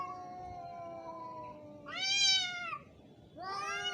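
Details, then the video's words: Angry fighting cat: a low, steady, drawn-out moan gives way to two louder, higher howls that swell and waver, overlapping the lower voice in a tense yowling exchange. "Angry cat's sound effects / cat fighting video"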